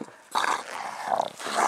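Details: Dog from a mastiff-type family that includes an English bulldog, bull terrier and American bully, giving short, rough, breathy bursts of panting, three huffs in under two seconds, close and indoors.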